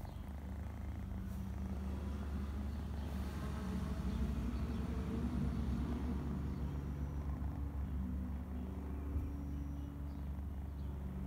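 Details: A domestic cat purrs continuously, a low, even, vibrating drone with rapid pulsing that stays level for the whole stretch and has no other clear sounds.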